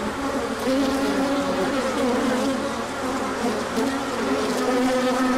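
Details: Many honeybees on a large orientation flight as the sun comes out after colder days: dense, steady droning hum with overlapping wingbeat tones that slide slightly up and down, loud and continuous throughout.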